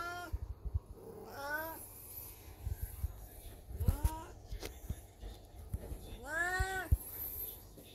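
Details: Elderly black cat Beni-chan in heat meows indoors beside a watching Golden Retriever; three arched, moaning calls spaced a few seconds apart, the last longest, amid clicks, knocks and low household rumble.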